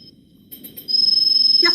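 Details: An understory cricket, probably a new species, gives a steady, pure, high-pitched trill made of rapid, even pulses.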